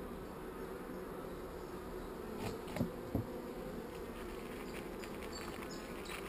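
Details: Not-so-angry honey bees on hive frames during an inspection that finds a swarm cell. A continuous low droning hum of the crowd, with a couple of soft knocks midway.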